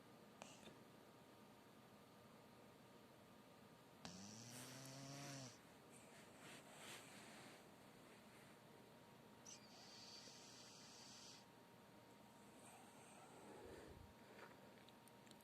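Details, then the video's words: Zefir, a sleeping Chihuahua that turned ten in summer 2020, snores indoors with soft, noisy breaths repeated rapidly under a steady hiss. A woman's voice briefly cuts in with a rising tone partway through. "чихуахуа Зефир храпит"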